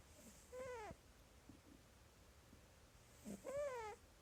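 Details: Cat asleep and snoring, its squeaky snores heard as two brief nasal squeaks about three seconds apart, each sliding down then lifting, with soft faint breaths between.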